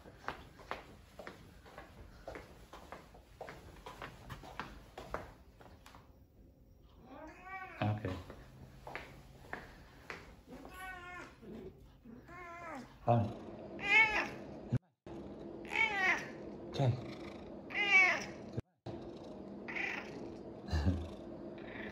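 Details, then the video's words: Tommy, a pet cat, protests at being told no, giving a series of harmonic meows of rising and falling pitch, sparse at first then louder and more frequent, with a man speaking softly indoors. "Cat does not like being told ''no''"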